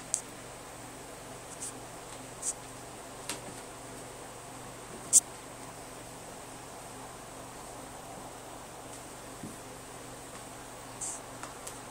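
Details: Steady fan-like hiss with a faint low hum, broken by a few sharp scattered clicks and taps, with no animal voice.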